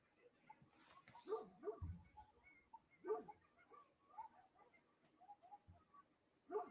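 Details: Dogs barking on a property to warn off coyotes howling nearby and tell them to stay away; a few short, distant barks come in clusters a second or two apart over a quiet background, with faint human voices.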